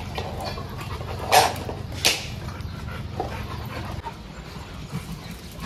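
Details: Dog at a Jodhpur dog training school letting out two loud, abrupt barks less than a second apart, then a softer one, with a constant low hum and a person's brief words after.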